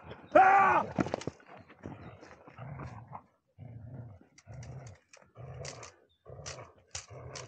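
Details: Dobermann named Mayhem Der Biss Von Einherjer, aged 6 years 8.5 months, gives one sharp high whine near the start, followed by a run of short low huffing breaths and grunts at an even pace.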